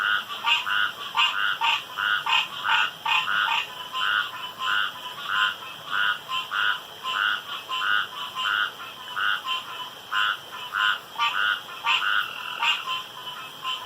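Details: Frogs calling around a pond after dark: a busy chorus of short, rasping, pulsed croaks, overlapping and repeated about every second, over a steady high-pitched background hum.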